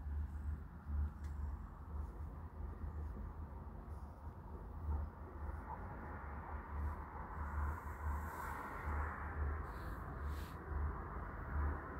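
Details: Steady low rumble dominates, like a passing vehicle or train, with faint scattered clicks and no clear animal voice.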